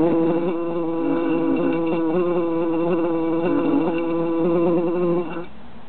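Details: Three bees trapped in a jar in summer buzz steadily, a droning hum with many stacked overtones that wavers slightly in pitch, then drops off sharply near the end.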